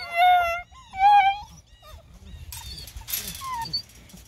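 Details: Eight-week-old Bluetick Coonhound puppies at feeding time, with a pail of meat nearby, let out two loud, wavering howls. Quieter scattered whines and yelps follow, along with background music and a woman speaking.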